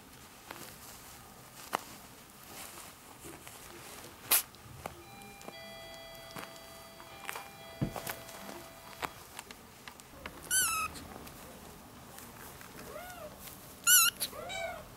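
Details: Four one-month-old ginger kittens with their young mother, a former stray taken in indoors: mostly soft tapping and rustling, then around ten and fourteen seconds, short bursts of thin high wavering mews that rise and fall.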